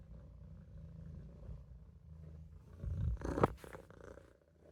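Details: Low, pulsing purr from Olof, a Maine Coon kitten napping in the sink, swelling into a louder, rougher burst with a brief knock partway through before settling back to a soft rumble.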